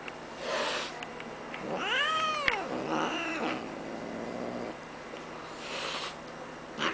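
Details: Max, a Bengal cat, being cranky indoors, gives a drawn-out meow arching up then down, followed by a softer second cry, with rustling around.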